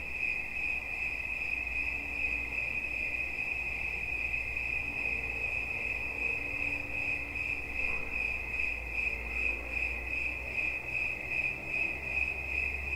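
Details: Cricket chirping as a relaxation soundscape: a steady high trill pulsing in rapid beats, with faint low rumble beneath and soft background hiss.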